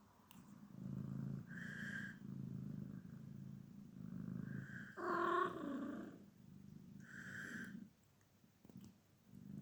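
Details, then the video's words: Grumpy Sphynx cat makes low, rumbling grumbles broken by three nasal, drawn-out whining mews, the middle one louder and rougher, ending in quiet. "grumpy sphynx cat"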